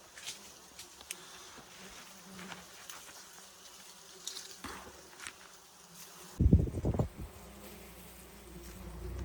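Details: Wild bees at one of two nests being harvested for honey: a low, steady droning hum with faint overtones runs throughout, then a sudden loud thump and rustling handling noise near the end.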